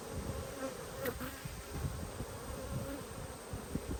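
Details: Honey bees on an open hive during a brood inspection, 19 March 2022; a faint, steady low buzz holding one pitch with a higher overtone, under soft rustling and clicks from frames being handled.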